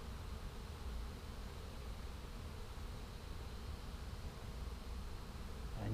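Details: A first-caught swarm of small feral honey bees drones densely and steadily, low and continuous without pause, as the bees pour into the hive hole and start building.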